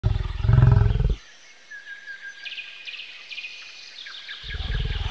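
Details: Bison giving deep, pulsing low grunts in two bursts, one at the start and one at the end, with a quiet stretch of chirping birds between them.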